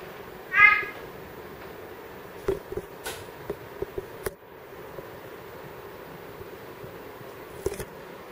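A big-eyed tree frog makes a single brief, harmonic, slightly nasal call near the start. After it come only soft scattered clicks and taps against a quiet background hiss.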